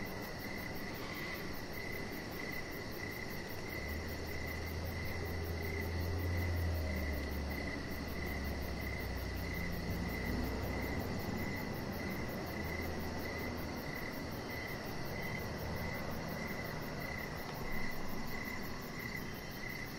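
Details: Crickets chirping outdoors on a deck in the evening, a thin high steady pulsing line running under a broad wash of low rumbling background noise that swells in the middle.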